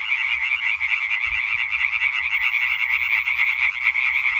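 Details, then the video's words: Chorus of European tree frogs, 20 May 2023, many males croaking at once in fast pulsed bursts that blend into an unbroken, loud rattle; a faint low thump partway through. "Hyla arborea Konzert Concert"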